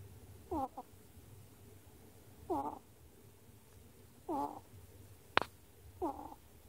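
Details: A sleeping ferret snores in short, squeaky, wavering breaths, repeated about every two seconds, recorded on 10 March 2018.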